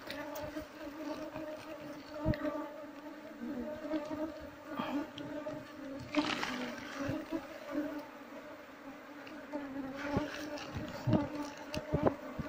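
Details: Asian honey bees (Apis cerana) droning at a wild nest during honey harvesting, a usually aggressive bee that stings people disturbing its nest; even, low humming tone with overtones throughout, interrupted by occasional rustling bursts and knocks.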